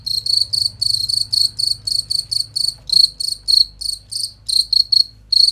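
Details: High, clear cricket chirps meant as tutoring material for competition songbirds, short buzzy pulses in quick, slightly uneven succession, a faint low hum underneath.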